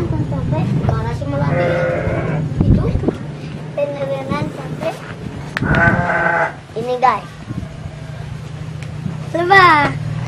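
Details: Garut sheep at a ram-fighting farm in Dangiang, Cilawu, Garut, West Java, bleating several times in wavering, nasal bursts, with people talking throughout.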